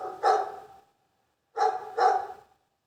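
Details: Sharp, loud dog barks: one bark, a silent gap of under a second, then two barks in quick succession.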